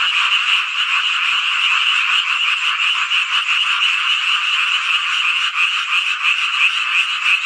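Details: Frogs singing en masse on a midsummer night in rural Hongcheon, Gangwon Province, Korea: dense, buzzy overlapping calls running continuously, with a slight dip in loudness midway.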